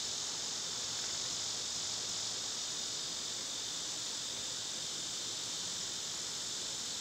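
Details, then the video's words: Cicadas in summer, loud this time of year, recorded outdoors where birds and squirrels gather: a steady, dense high-pitched buzzing drone holds without pause throughout. "Birds & Squirrels w/ Cicada sounds"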